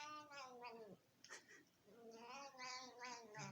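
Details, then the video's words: Pet cat making funny noises while being fed by her owner indoors; drawn-out, wavering harmonic meows with a short gap, then longer rising and falling meows, with a person speaking nearby. "Cat makes funny Noises beeing feeded by her Owner"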